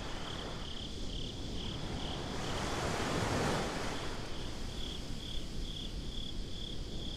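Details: Night-time beach crickets in a binaural recording give a continuous high, pulsing chirp, while waves roar beneath and one surge of surf swells loudest midway through.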